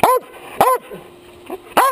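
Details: Dog barking straight into a chest-mounted action camera at close range; three loud, sharp barks spaced a little over half a second apart, with quiet gaps between.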